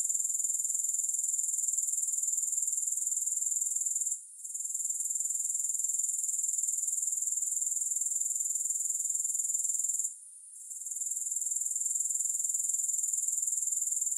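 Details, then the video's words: Shrill, unbroken grasshopper chorus with no music, a fast regular pulsed buzz high in pitch, interrupted by two short silences before resuming each time. "Grass Hopper Sounds"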